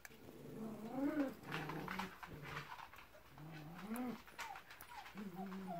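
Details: Pyrenean Mountain Dog puppies from litter D2 giving arched, nasal whines that rise then fall, several in quick succession with short gaps, over faint room noise and rustling.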